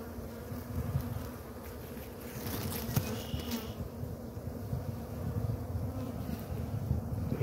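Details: A honey bee swarm just caught on a Tuesday, with the queen and workers being put into a box from a ladder, gives a dense, steady low hum of many wingbeats.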